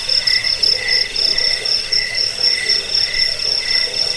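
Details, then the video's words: Crickets in a dense chorus of high, shrill pulsing trills, several layered pitches pulsing in uneven bursts about twice a second, with a softer lower murmur of calls beneath; nothing else intrudes. "Suara jangkik pengusir tikus pengantar tidur"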